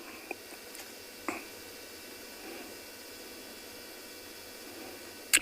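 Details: Quiet background hiss with a few soft clicks and taps, and a sharp crackle near the end; no animal voice is heard.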